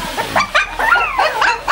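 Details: Shih Tzu puppies at feeding time on a raw diet of meat, bone and fat; short high whiny yelps rise and fall in quick succession, with a person talking softly nearby.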